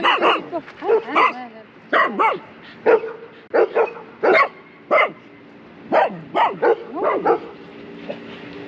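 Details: Shiba Inu Kaki-Maru, aged 2 years 8 months, at a Dutch neighbourhood dog run among big dogs and a black Labradoodle; a lively string of about a dozen barks, some in quick pairs, over soft outdoor ambience.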